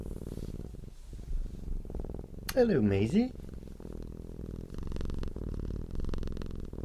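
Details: Cat purring out of contentment, a soft low pulsing hum running throughout, interrupted midway by a brief louder wavering vocal sound with rising and falling pitch, then the steady rumble resumes.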